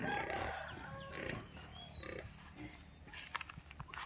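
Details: Piglets raised semi-free-range on a pig farm give rough, noisy grunting calls packed closely together in the opening second and a half, then fading into quieter scattered sounds, with faint chirps and farmyard noise behind.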